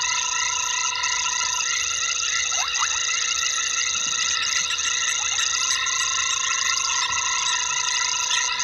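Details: Night chorus of frogs at a waterhole on Djuma Game Reserve in the Sabi Sand, South Africa, 21:22 on 12/11/19; constant layered high tones with a few quick falling notes near two and a half and five seconds.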